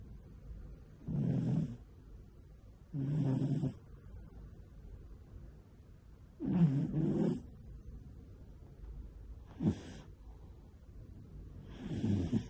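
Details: Pet cat snoring in deep sleep, not waking whatever is done to it: soft low rasping snores in bursts roughly every two to three seconds, each with a breathy hiss, in a quiet room.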